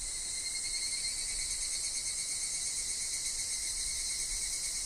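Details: Higurashi (evening cicada) calling in a woodland with wind and falling leaves: a dense, steady, shrill high buzz that holds unbroken for the whole stretch, with a thin, faint lower whine running beneath it.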